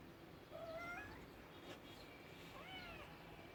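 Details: Pet cat giving two faint, drawn-out meows about two seconds apart, the second bending upward and down, set against low background noise.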